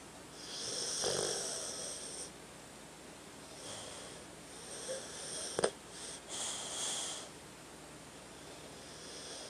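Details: Tucker, a dog, sleeping and snoring indoors: soft wheezing breaths with high hissy whistling tones, a few louder snorts around the middle, then another long wheezy breath.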